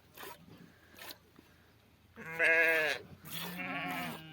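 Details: Sheep during milking giving two loud, quavering bleats in quick succession after quieter knocks and rustling.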